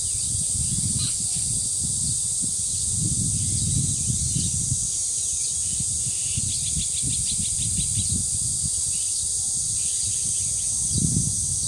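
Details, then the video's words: Continuous shrill buzzing of cicadas recorded at the dangsan in Deoksan village, overlaid by surging wind noise in waves and scattered bird chirps, including a quick rattling trill midway. "매미소리와 바람소리 그리고 새소리"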